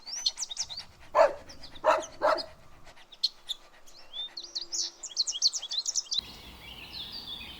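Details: Playful dogs on lush grass give three quick barks early on, then many high chirping birds take over, with faint background noise near the end.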